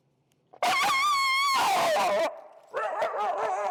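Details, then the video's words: Extremely vocal feral husky named Finnegan, disagreeing with a behaviour during heel training, lets out loud wavering howl-like cries with a strong harmonic stack, rising and falling, then a second rougher warbling outburst after a short pause. "Extremely Vocal Feral Husky, Disagreeing With A Behavior"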